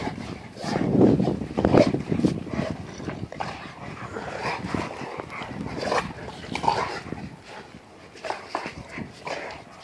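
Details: Brindle Spanish Mastiff making quick, agile moves; low, throaty bursts come in loose clusters, strongest near the start, then scattered rough sounds with background noise.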